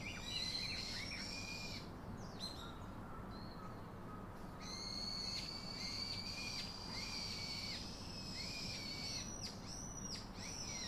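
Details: Baby monkey calling its father for comfort: a run of high, thin, whining cries with harmonic overtones, some flat and some arching, repeated in quick bursts over a steady low background rumble.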